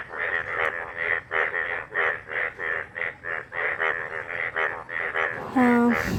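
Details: After heavy rain refilled a dried-up pond, many yellow frogs croak in a loud chorus of harsh, nasal calls overlapping in quick, rapid bursts.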